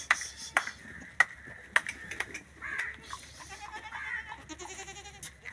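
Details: Young goat kids with cough and cold at Vehari Goat Farm, Pakistan: short, sharp, explosive coughs about every half second, then thinner bleating toward the end, with faint human voice in the background.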